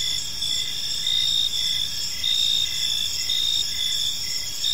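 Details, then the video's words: Evening park chorus of crickets, high-pitched pulsed chirps recurring roughly every second over a constant shrill trill, with soft low ambient noise underneath. "Cricket Sounds in a Peaceful Park"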